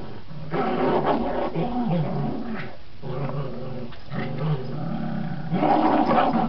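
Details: Border Terriers Gracie and Marvin growling during tug play indoors; a continuous rumbling growl with shifting pitch, rising and falling in waves, briefly pausing near three and four seconds before resuming louder.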